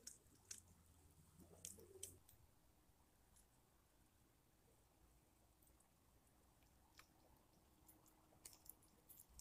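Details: A hedgehog feeding at night chews and crunches in soft, irregular clicks over a low background hum, with a few sharper crackles near the start and end.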